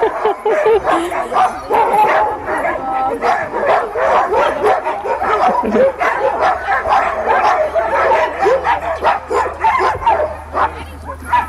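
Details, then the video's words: Team of sled dogs barking at Caribou Crossing in the Yukon before sled takeoff: rapid, overlapping sharp barks in steady bursts, with a low engine-like hum underneath and faint voices. "sled dogs takeoff"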